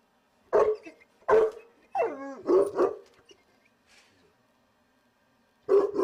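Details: Cane Corso guarding by a gate, barking at window cleaners next door he cannot see; loud, deep, powerful barks in a quick pair, a howling whine-like bark, another double bark, then a single bark after a pause.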